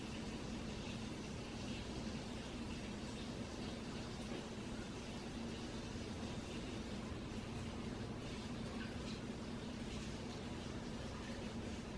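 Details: Quiet, constant broadband hiss with a faint low hum and no animal calls.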